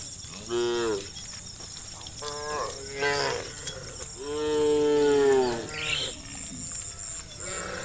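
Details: A herd of cows roaming a country road in late-afternoon light moo in turn, rich drawn-out lowing rising then falling away, calling one another to come home to the barn.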